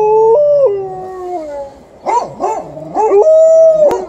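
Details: Alaskan Malamute and Golden Retriever guarding the house from an intruder standing across the road: long wavering howls sliding up and down, then shorter broken yowls and a final sustained high howl.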